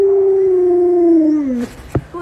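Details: Luoluo, a pet Alaskan Malamute, calling out to wake a late-sleeping owner; one sustained, steady, tonal howl that slowly falls in pitch over about a second and a half, followed by a brief thump.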